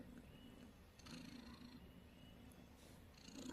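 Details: Domestic cat snoring softly, a continuous low purring rumble that rises and falls slightly in strength, with faint background hiss and an occasional soft tick.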